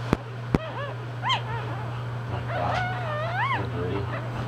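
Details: Newborn English bulldog pups whimper in short rising-falling squeals, fainter and more scattered, after two sharp clicks, with a steady low hum underneath.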